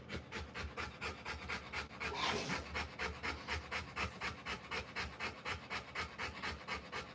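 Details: A Rottweiler in labour, delivering puppies, pants in an even, regular rhythm of roughly two breathy huffs per second, with one louder rustling swell partway through.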